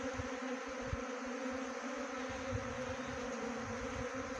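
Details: A honey bee swarm hums loudly and evenly during trapping: a thick, constant buzz with stacked tones, over frequent soft low thumps.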